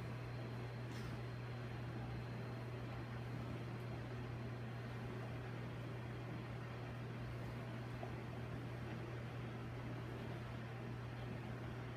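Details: Steady indoor machine noise, like a fan or air conditioner, with a constant low hum and no animal voice.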